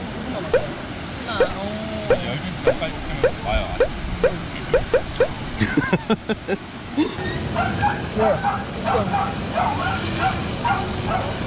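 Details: Welsh Corgi named Tangza on a camping trip at a campsite in Wonju, Gangwon Province, South Korea, giving short, sharp yipping barks in a quick series through the first half, over people talking and background vehicle noise.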